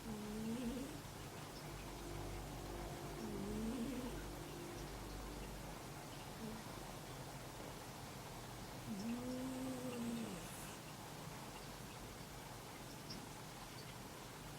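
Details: Snoring from a sleeping house cat with a second cat cuddled up next to it indoors; three soft, tonal snore breaths, curved and wavering, spaced unevenly over fourteen seconds against a steady low hum.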